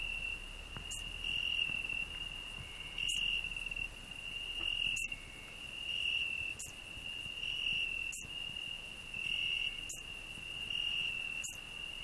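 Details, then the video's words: Cricket on a rose bush singing alongside a grasshopper: a continuous high shrill trill pulsing in louder phrases about every two seconds, broken by sharp clicks roughly every two seconds. "Cricket and grasshopper singing"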